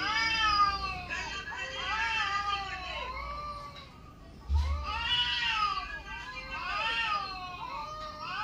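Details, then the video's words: Yowling domestic cat sounds played on a mobile phone near a mature cat: overlapping wavering, arching wails, like cats fighting, rising and dipping repeatedly, with a brief low thump midway. "Cat reacting to cats sounds played on mobile phone. (Kittens meowing, cats fighting etc)"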